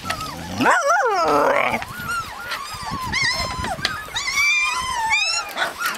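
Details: Husky puppies in Lapland, Finland, crying out with a loud wavering whine at first, then a stream of overlapping high squeaks and whimpers from several pups.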